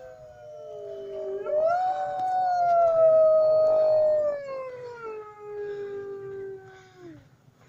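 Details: Wolves howling at Woodside zoo in Lincoln: long tonal howls with rich harmonics, one voice sliding up near two seconds, holding steady, then gliding down, with a second overlapping howl drifting lower toward the end; faint low background rumble.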